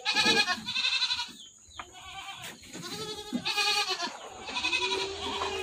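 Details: Several goats on a goat farm calling in turn, with loud, buzzy, trembling bleats about every second or two, some rising then falling, plus rustling and low background noise.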